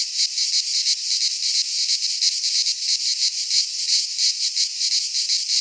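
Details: Midsummer cicada chorus from a pine forest in Greece: a shrill, continuous buzz throbbing in quick regular beats, roughly three each second, with one faint click.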